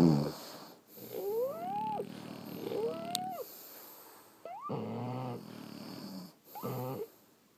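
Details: French Bulldogs asleep indoors, snoring in uneven rasping breaths, some with wavering whistly overtones, broken by short pauses; a faint steady background hum runs throughout.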